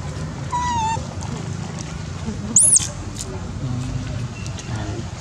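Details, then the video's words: Baby monkey Dodo screaming loudly to request food while being fed: a short wavering tonal cry with stacked overtones, then one very high, sharply arched squeal, over a steady low rumble of background noise. "Dodo scream loudly request food from us"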